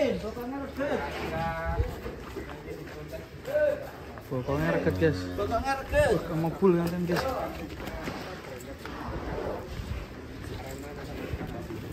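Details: Black Mamba, a large cow, being bathed in the afternoon in preparation for a contest: a few low, drawn-out moos break through steady chatter of people talking and splashing handling noise around the animal.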